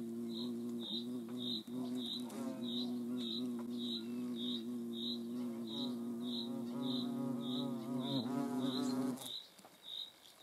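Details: Hornet buzzing close by in the Eifel: a loud, deep, rich hum with rising and falling tone for nine seconds that stops abruptly, accompanied by steady high chirps repeating about three times a second.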